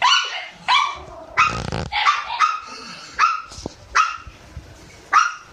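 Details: A Shiba Inu puppy at the breeder's gives sharp, high yaps in short bursts, roughly once a second.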